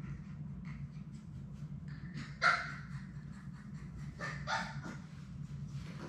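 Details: Labrador Retriever puppies, a litter of six, at play in their indoor puppy play room; one sharp, loud yelp near the middle, then a softer, noisier burst of barking or whining later, over a steady low room hum.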